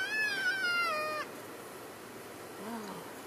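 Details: Elk in a herd on February 3, 2012, calling to keep in touch while moving from one grazing area to another: a high, clear squealing mew with rich overtones that slides gently downward over about a second, then a fainter low wavering note.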